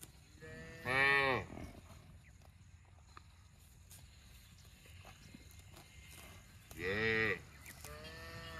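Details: Cow producing two loud, brief harmonic moos roughly six seconds apart, with a softer tonal moo starting at the very end and a quiet background.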